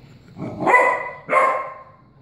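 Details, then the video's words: Puppy from 2016, before training, barking at a cat: two drawn-out, tonal barks with a slight whine-like rise, the second following the first after half a second, then quiet. "puppy Raina barking at Boots kitty"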